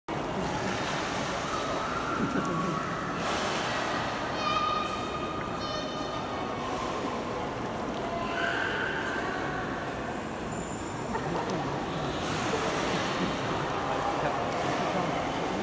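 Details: A beluga whale at Port of Nagoya Aquarium, filmed in summer 2019, gives brief squeals and whistles, some with a buzzy harmonic edge, against steady rushing water noise.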